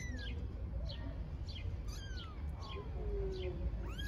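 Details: Newborn stray kittens in Istanbul, out of their nest for the first time in nice weather, give several short thin meows that slide downward, some higher and some lower. Rapid, regularly repeated bird chirps sound throughout.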